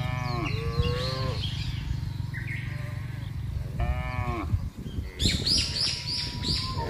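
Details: Large cattle herd driven across broad grassland, moving calmly; two full moos a few seconds apart, then a burst of high bird-like chirping over the constant low rumble of hooves and bodies.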